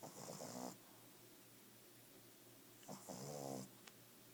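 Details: Five-month-old Boston Terrier puppy snoring: two rasping, buzzy snores, each under a second, with layered harmonic tones, separated by about two seconds of quiet breathing.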